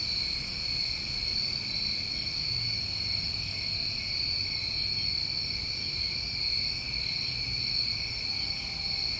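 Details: A dense summer cricket chorus from New England: constant high-pitched trilling layered in two tones, with occasional very high short bursts roughly every three seconds and faint low ambient noise.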